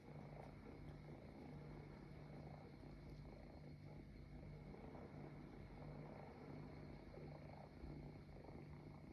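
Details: Kittens nestled against a couch as if it were their mother, giving a quiet continuous low purr, a soft even drone with light ambient noise.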